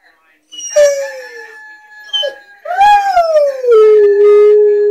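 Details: Domestic Rottweiler howling along with a rooster-crow alarm clock. A brief falling howl, then a louder one that rises and slowly sinks into a long, level, sustained tone. A faint steady tone runs underneath.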